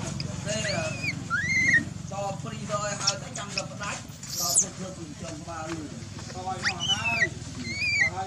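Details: Baby macaque Dalton lying on the ground, ignored by his mother Dolly, cries in high arched whistled wails that rise and fall, bursting out at the start and again near the end, with voices and rustling in between.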